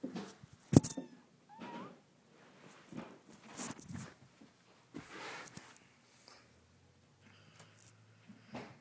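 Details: A cat gives a brief, faint meow, a short rising tone, among sharp knocks, bumps and handling noises, with quiet gaps and a low steady hum toward the end.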